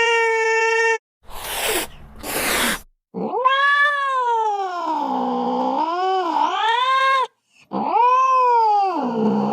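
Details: Domestic cat giving long, wavering, drawn-out yowls that dip and rise over several seconds, after a short steady tone and two bursts of broadband noise, with a final yowl sliding downward.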